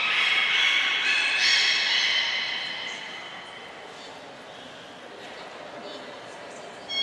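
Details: Captive beluga at Port of Nagoya Public Aquarium, training session of 25 July 2021, cut short to keep food for a later round. A loud, rich harmonic squeal lasts about two and a half seconds, then fades to quiet hall ambience.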